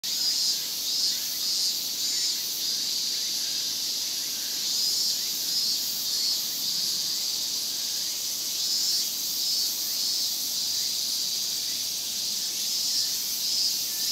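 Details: Big summer chorus of Japanese cicadas, semishigure, in Japan: a dense, continuous high-pitched buzzing drone with slight surges in loudness and faint rising chirps beneath.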